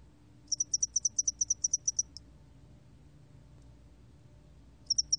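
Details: High, dry pulsed trill of a spotted-wing hairy cricket (National Institute of Biological Resources, 2020): about a dozen quick even chirps, a long silent gap, then the pulsing starts again at the end.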